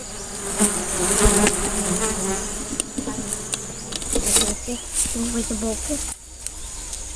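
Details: Honey bees at a large nest during a honey harvest, a steady low droning hum of many wings, with men talking and laughing close by and brief clicks and knocks.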